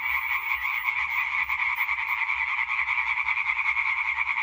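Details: Chorus of European tree frogs, dated 20 May 2023: rapid rattling croaks from many males blend into an unbroken, buzzy wall of sound, slightly swelling and fading in loudness.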